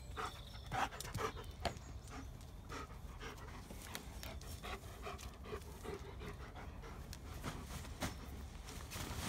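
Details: A pack of German Shepherd dogs at play in a tunnel, with quick, irregular panting breaths over rustling and thumping movement noise and steady low rumble throughout.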